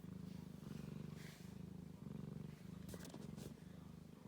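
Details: Nursing Ragdoll kittens beside their mum, kept warm on a heat mat during cold days and nights. A low rhythmic purr rolls steadily in repeated pulses, with a few soft rustles partway through.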